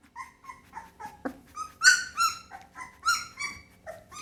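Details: Little Pit Bull pup whimpering in steady, slightly falling high notes, then breaking into louder, rising squeals and yelps through the second half.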